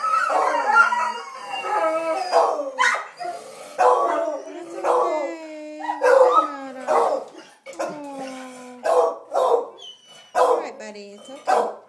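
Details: Dogs howling when their owner leaves: a long falling howl interleaved with short sharp yipping bursts repeated roughly every second.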